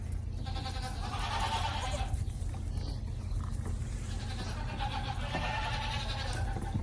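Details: Goat kids bleating while suckling together from a shared bottle feeder; overlapping nasal bleats from several young goats in two main bursts, with a steady low rumble of background noise beneath.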